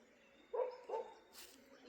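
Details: Disturbed dogs barking a lot during daytime near forest at Jim Corbett, Uttarakhand, as wild animals are agitated, with a distant village dog also barking; two short, mid-pitched barks in quick succession, then a brief hissing noise.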